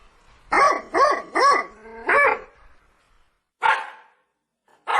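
A Rajapalayam dog gives a quick run of loud, harsh barks, then two more after pauses.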